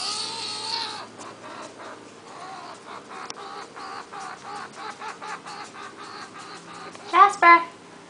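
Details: Jasper, a seven-week-old pet skunk, crying to be picked up in June 2009: rapid, fairly even chirping squeaks, roughly three per second, closed by two louder voiced calls.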